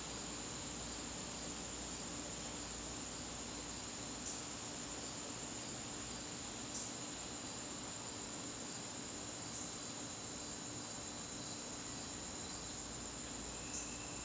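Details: A September evening in the garden, crickets keeping up an unbroken high, shrill trill while faint clicks recur every few seconds and low steady background hiss continues.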